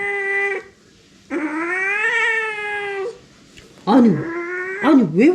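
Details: Indoor domestic cat making a loud fuss after knocking over its water bowl. A sustained yowl is cut off, then a long, even cry follows. It ends in shorter wavering, bending calls.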